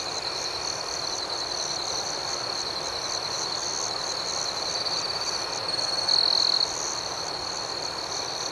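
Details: Nighttime cricket chorus, many insects trilling at once in a constant high-pitched ringing, with fast, regular pulses layered on top and no other clear sounds.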